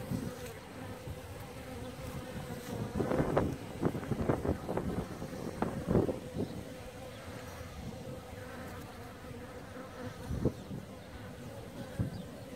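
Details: Endemic Maltese honey bee, Apis mellifera ruttneri, kept by beekeepers in Malta: a soft continuous drone with a cluster of sharper buzzing passes in the first half and a lone loud pass later, light wind noise beneath.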